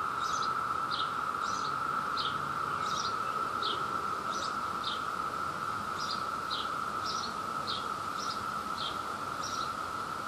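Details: A courting male cicada of Brood II, New Jersey, with others chorusing in the background as they search for mates. A continuous level drone underlies rapid, fairly uneven high chirps, about three to four per second.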